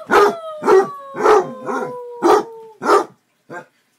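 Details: Pet Basset Hound, a male, baying in a steady run of about six loud barks, each followed by a sustained tone that slides slowly downward. The series ends with one short, quieter yelp.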